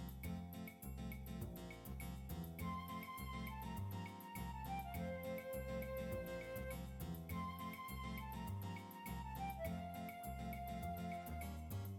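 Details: Soft, gentle instrumental music with a flute-like melody of held, falling notes over a plucked rhythmic backing, and no animal voice.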